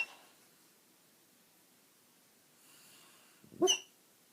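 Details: Basset hound asleep indoors, quiet room breathing softly at first, then one sharp snorting snore with a thin whistled edge near the end.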